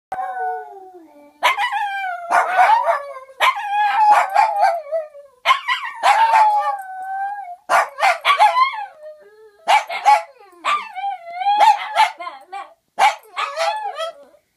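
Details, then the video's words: Two Shih Tzus howl together, unhappy because their owner left on an out-of-town trip; long wavering, sliding howls overlap in a duet, broken by short yelps and barks, in a quiet indoor setting. "Dog duet"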